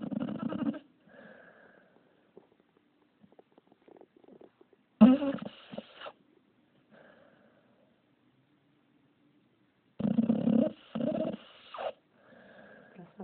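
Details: Gargamel, a pup, snoring up a storm: three loud rasping snore bursts roughly five seconds apart, each about a second long, with soft wheezy breaths and quiet pauses between them.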